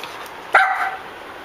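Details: Puppies that have found a cockroach: one sharp, high yipping bark, short and bright with a brief tapering tail, rising out of a steady background hiss.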